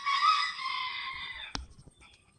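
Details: A two-month-old golden retriever puppy gives a high, drawn-out whine that holds steady and fades, followed by a sharp click.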